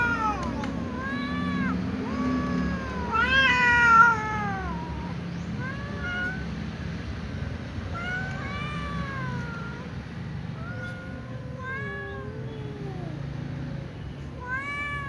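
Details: Several cats gather before eating as a little cat meows and a tom cat sneezes; a steady stream of bending, wavering meows overlaps, with a louder rough burst near four seconds over low household hum.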